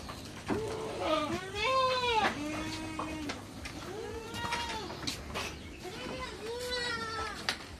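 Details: Goats on a backyard farm bleating repeatedly, a series of wavering nasal calls that arch up then down, several overlapping, with clattering and knocking noises in the background.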